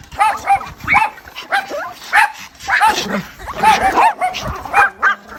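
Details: High, piping whimpers and short yelps as a mother dog calls her puppies, coming in quick bursts roughly two or three per second, some sliding upward, with a fuller cluster midway.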